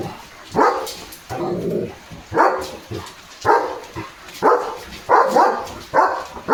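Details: Leo, a pet German Shepherd playing with a water mug in his mouth, barks loudly in short, hoarse bursts repeated roughly every second, some doubled, with a faint low background hum.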